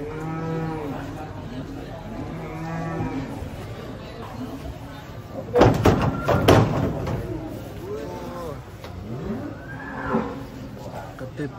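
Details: Very large cattle being unloaded from a truck: several deep, drawn-out moos with rising-then-falling tone, a burst of loud clattering thumps midway, and people talking throughout.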